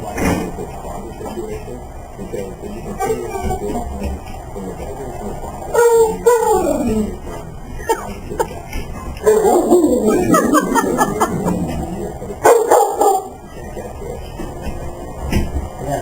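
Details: Pet dog vocalizing with excitement just before a walk: a few loud, harmonic whining yelps around six seconds, a longer warbling burst near ten seconds and another near twelve, over steady background hum and a person's voice.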